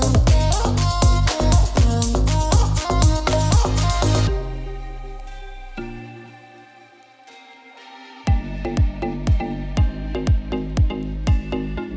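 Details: Electronic dance music with a steady pounding beat, dropping to a quiet sustained passage midway before the beat returns, with no animal sounds.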